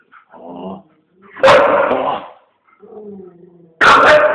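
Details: Eight-year-old female Siberian Husky playing with her owner, recorded on a Samsung GT-S5230 phone; soft low grumbles alternate with two loud, sharp, harmonic barks about two seconds apart.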